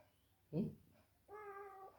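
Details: Sleepy female cat being carried around indoors: a short sound burst, then one steady, level, drawn-out meow of about half a second, sounding baby-like, in a quiet small room.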